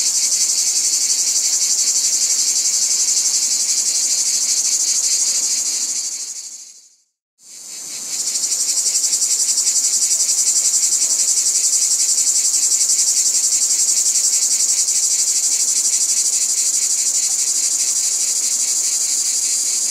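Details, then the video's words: Cicadas buzzing in a loud, high, pulsing drone that fades to brief silence near the middle and then rises again into the same steady, shrill chorus. "Cicadas | Black Screen Sounds"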